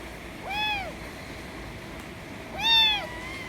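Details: White kitten meowing loudly to demand affection: two clear, arched, harmonic-rich meows about two seconds apart, each rising then falling, over a quiet indoor background.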